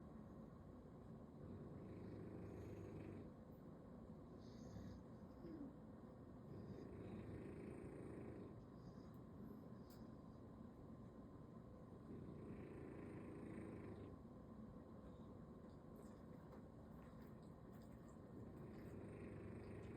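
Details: A bulldog sleeping belly-up on a Sunday snores: low, rough, rasping breaths in long swells about every five to six seconds, with steady low hum beneath.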